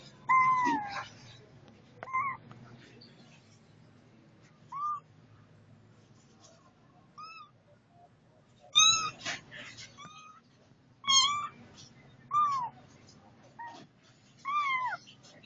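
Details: Setty the cat gives a series of short, arched meows at irregular intervals, some single and some in quick pairs, against a quiet background.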